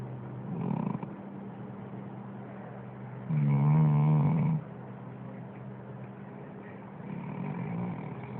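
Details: Android phone recording of a sleeping dog snoring: soft breaths, then one strong, vibrating, throaty snore lasting over a second, followed by quieter breathing, with a low hum underneath.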